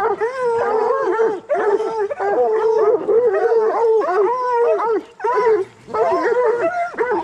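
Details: Bluetick and black and tan coonhounds in raccoon-hunting training bay together, long level howls broken by choppy barks, the chorus dipping briefly about every one to two seconds.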